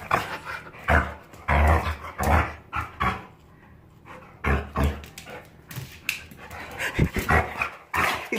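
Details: A Jindo dog, recently recovered from illness, resists a bath after a walk and rolling in riverside sand, and gives low, snorting, pig-like grunts in irregular bursts, made only when happy, with a person's voice between them.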